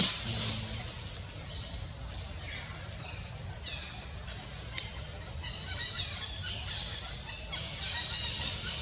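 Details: Baby monkey Gavin at Angkor Park, crying loudly for help while his mother Bonita weans him: high, harmonic, wavering shrieks repeated in quick bursts, rising in the second half, over a steady high insect drone and low rumble.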